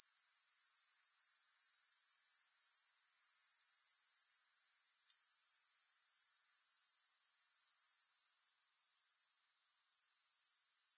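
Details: Continuous grasshopper stridulation with no music: a bright, high, finely pulsed buzz running evenly for most of the stretch. It dips briefly to near silence shortly before the end, then resumes.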